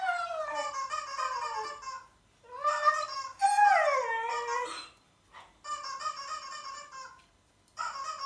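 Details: Siberian Husky howling indoors in reaction to an annoying sound; drawn-out wavering howls sliding down in pitch, several phrases separated by short pauses, with a possible music-like background sound.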